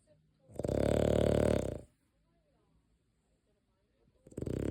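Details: Low, grating snore from the sleeping dog Deokgu, one drawn-out rasping breath of over a second, then quiet, then the start of another snore.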